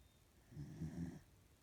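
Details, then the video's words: A female corgi asleep gives a single low, rough snore lasting about half a second, rumbling and slightly rising in the middle, in a quiet room. "Corgi snores"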